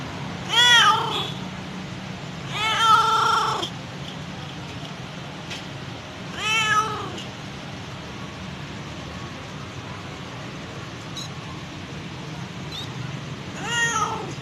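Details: Mother domestic cat calling for her kittens: four loud, drawn-out harmonic meows spaced irregularly, a long gap after the third before the last, over a steady low background hum.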